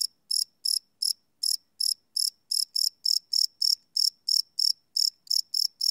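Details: Night crickets recorded live without loops on a Sony PCM D100: bright, high pulsed chirps repeating roughly three times per second, slightly uneven in spacing, with no other sounds.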